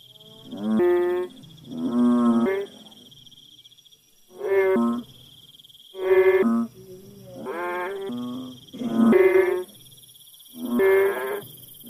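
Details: Frog calling in a village: rich, harmonic, drawn-out croaks about a second long, given in a steady series roughly every one to two seconds, with a constant high electronic-sounding whine in the background.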